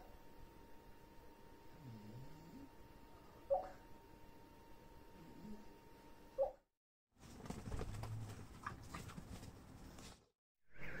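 A sleeping Olde English Bulldogge puppy snores with slow, low, rumbling breaths over a faint steady hum.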